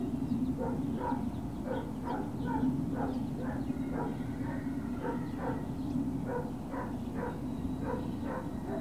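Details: Great Dane puppies on 21 March 2019 at Puppy Hill keep up an almost continuous rhythm of brief high-pitched yips, about two or three per second at times, over a persistent low background drone.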